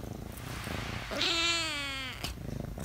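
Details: A chatty pet cat lets out one drawn-out, steady meow lasting nearly a second, rich in harmonics, over a low rumbling background hum.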